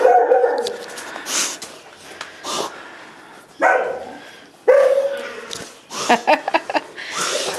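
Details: Pet dog at home giving short harmonic barks and yelps in separate bursts about every one to one and a half seconds, some sliding whine-like tones between them, with a person's soft voice talking to the dog nearby.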